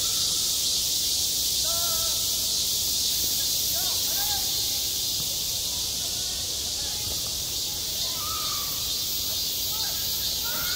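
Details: Cicadas drone in a steady, high-pitched, hissing buzz that never lets up, with faint whistles beneath, at a school playground in midsummer.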